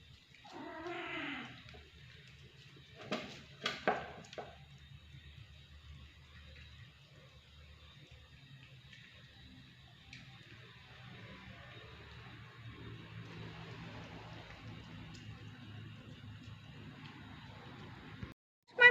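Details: A domestic cat, said to be always hungry, gives a single short harmonic meow at the start. A few sharp clattering knocks follow, then a long stretch of low indoor hum with no further calls.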